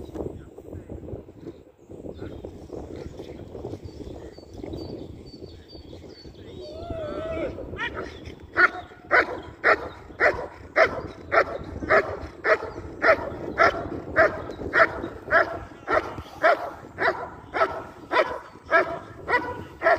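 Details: IGP competition training of a German Shepherd: after a quieter stretch with voices and a brief squeal, the dog launches into a long, rhythmic volley of forceful barks, nearly two each second, lasting over ten seconds.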